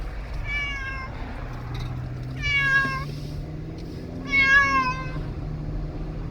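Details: Pet cat riding in a car, unhappy, making baby-like cries: three drawn-out, wavering meows about two seconds apart over a steady low engine rumble.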